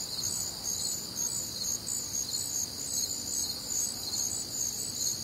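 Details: Night-time crickets with other nocturnal insects, recorded on a humid Midwestern summer night; many callers overlap in a bright, pulsing high chorus, rhythmic chirps over a steady ringing trill.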